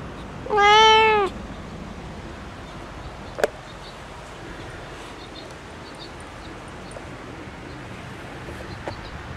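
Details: Pet cat Bella, left indoors and unhappy about not being let out onto the porch with Red, lets out one loud, drawn-out meow with a slight rise, then falls quiet; a single sharp knock follows.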